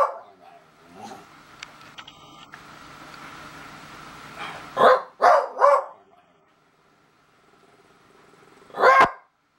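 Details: A beagle howls at a stink bug, letting out a quick run of short, loud, hoarse bays, then one more after a pause.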